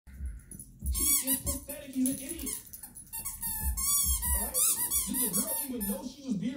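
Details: Soft-Coated Wheaten Terrier puppy indoors in a small room, giving high, squeaky whines and yelps with rising and falling harmonic wails, mixed with a person talking over it.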